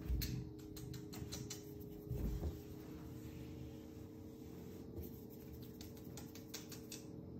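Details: A male Ragdoll cat purrs in a steady low rumble while his coat is stroked, with soft rustling clicks of fur.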